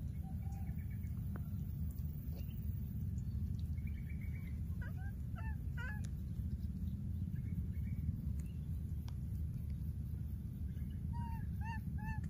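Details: Wild baby monkey that lost its playmate, calling repeatedly: scattered short tonal cries, some rising and falling, bunched after the fourth second and again near the end, over a steady low rumble.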